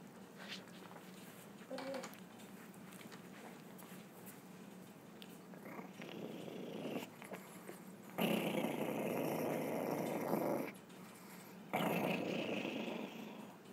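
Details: Chihuahua making a weird noise: after several seconds of soft rustling and faint low grumbles, two loud rough rasping bursts follow, one lasting over two seconds and a shorter one near the end.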